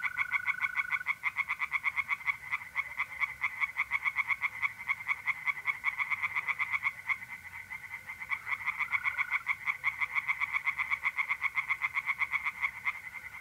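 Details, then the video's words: A pond chorus of tree frogs in north-east Italy at night in April: dense, unbroken, rapidly repeated creaking pulses fill the whole stretch, with a thin mole cricket trill showing briefly. "relaxing singing tree frogs in pond and trilling mole crickets by night"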